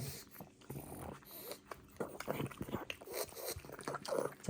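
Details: Pug puppy munching a cucumber treat at home, irregular wet crunching and chewing bites with snuffling breaths, roughly three per second, while a person praises it in a soft voice.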